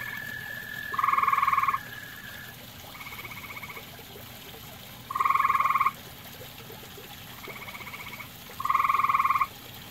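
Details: Grey tree frog calling at a pond shared with common toads: short, rapid pulsed trills under a second long, repeated every few seconds, some loud and near, others fainter from neighbouring frogs, over a soft background hiss.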